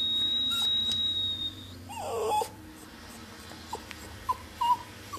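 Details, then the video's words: A dog that does not like high-pitched noises gives a brief strained whine just after a long steady high tone stops. Soft short yelps follow near the end, with faint clicks in a quiet room. "Dog that doesnt like high pitch noises"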